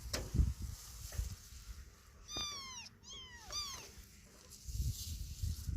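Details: Kitten that has lost its mother, calling with two or three high, falling meows rich in harmonics. The cries come close together in the middle of the recording, over low rumbling background noise and scattered knocks.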